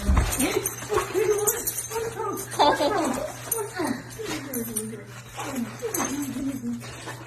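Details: Husky welcoming its owner home with a chatty run of short, wavering whines and yodel-like moans, repeated in quick succession over a constant low electrical hum indoors.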